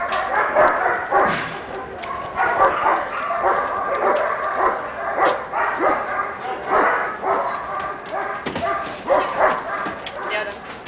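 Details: Shiva, a six-month-old pepper and salt Giant Schnauzer puppy, gives a string of short, sharp barks and yips, irregularly spaced across the whole stretch, with a voice talking in the background.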